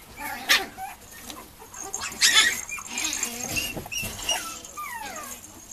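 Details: Two female Mame Shiba puppies at a breeder, March 9: scattered soft whimpers and squeaks mixed with rustling and knocks, ending in a couple of longer descending whines.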